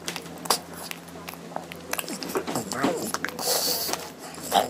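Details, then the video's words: Lotte, a hungry pug, eating her meal indoors and making happy sounds: short snorty clicks and wet chewing bursts come in an irregular run, with a louder breathy stretch near the end and a faint human voice underneath. "LOTTE'S MEAL FUNNY SOUND ! LOL"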